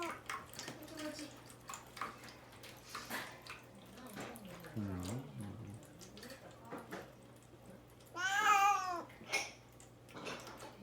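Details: Caged indoors before castration surgery and denied food and water, the pet cat Mamedaifuku wails to get out. A loud, wavering, harmonic meow of under a second rises then falls, following quiet human voices and a running tap.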